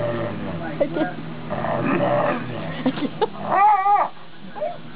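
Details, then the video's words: Talkative female wolf-dog of wolf, Chow, Malamute and Husky ancestry gives a short, wavering, whining moan near the end, after a stretch of human chatter and laughter. "Talking Wolf Dog"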